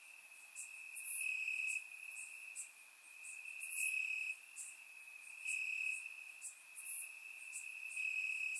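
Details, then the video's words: Warm summer night in Bulgaria, crickets chirping in the grass, taken with a surround microphone. A continuous shrill tone pulses brighter in stretches roughly every one to two seconds, while sharper high-pitched ticks and chirps repeat over it. "Cricket Sounds - Crickets Chirping at Night"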